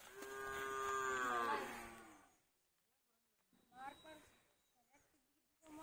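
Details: A 14-month-old Hallikar male calf moos once, a loud harmonic call of about two seconds that holds steady and then bends downward, followed by quiet and faint voices of people nearby.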